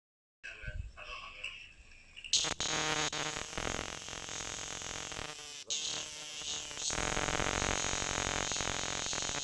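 A cicada's loud, continuous buzzing song starts after a quiet opening and holds steady.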